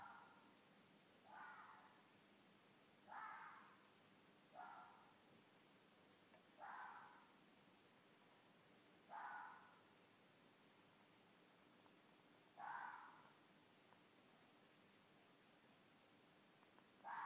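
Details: Wild red fox pair, a mated couple, giving mating calls in the middle of the night near Midhurst, England; eight short, rasping barks, each dropping in pitch, repeated every one and a half to three seconds against faint hiss.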